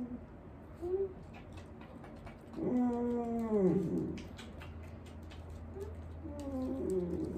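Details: Elderly dog Wanta, in home care and vocal whenever awake, groans indoors during a morning routine: a long, drawn-out harmonic moan that falls in pitch, with shorter whimpers before and after and a steady low hum in the room.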